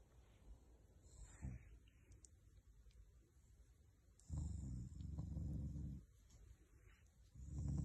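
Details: Shiba Inu growling out of affection, not anger, toward its owners: quiet rumble early on, then a deep, low growl held for about two seconds, and another starting at the end.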